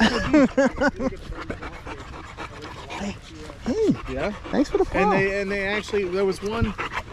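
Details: Staffordshire Bull Terrier in a 'wolf pack chat' with other male dogs at the park at evening: quick wavering whines, then a long steady moaning note and arching yelps, with panting.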